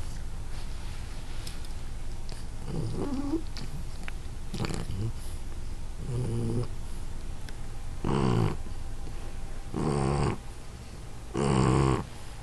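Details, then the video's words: Shar Pei named Abby asleep, with snoring that starts soft and irregular, then turns into three louder, broad, rasping snores near the end, set against a low rumbling background. "Shar Pei Snoring"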